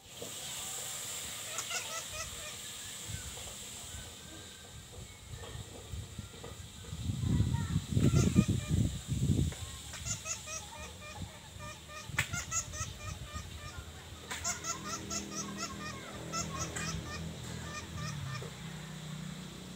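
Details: Bat making a strange call likened to a baby laughing, heard while facing a cat; rapid bursts of squeaky, chattering high notes repeat throughout, with low thumping knocks in the middle and a steady background hiss.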